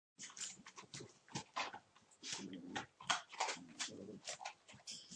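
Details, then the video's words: Puppies about one month old playing together, a litter; short low growly bursts mixed with rapid scuffling clicks and small yelps, busy and irregular with brief gaps, indoors. "puppies playing 19th December (with sound)"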